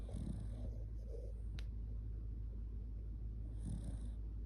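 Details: Shiba Inu named Kotetsu, sleeping cuddled up against a person, drowsy and snoring heavily: soft low rumbling snore bursts at the start and again near the end, spaced a few seconds apart, over a steady low hum.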